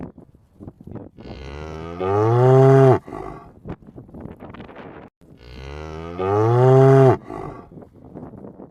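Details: Cow moos while roaming, two loud, deep, tonal calls about four seconds apart, each bending upward then dropping away, with faint rustles and knocks in the quieter gaps.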